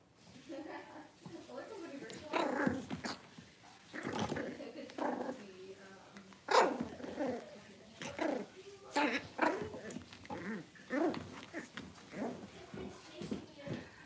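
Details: Six-week-old Cavalier King Charles Spaniel puppies in a puppy pen, being dewormed and having their toenails trimmed; short yelps and growly yaps in scattered bursts, with a person talking over them throughout.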